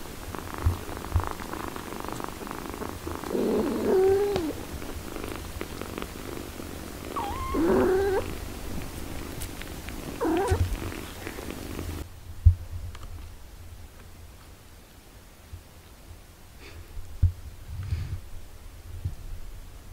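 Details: Mother cat tending her six-day-old kittens: three short, wavering mews rise and fall near the fourth, eighth and tenth seconds over a steady low purring rumble, with the scene turning quieter and sparser after the midpoint.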